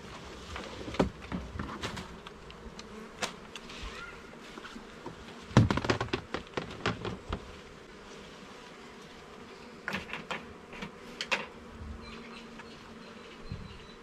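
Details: Honey bee colony hum from a garden hive being inspected frame by frame, the low continuous drone overlaid by frequent clattering taps and scrapes of wooden frames, clustered around six and eleven seconds.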